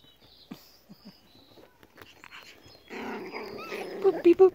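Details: Five-week-old Pomsky puppies from Selene's litter: quiet scattered sounds at first, then a rough growly rumble topped by a few short, steady high whines near the end, with a person's voice talking over them.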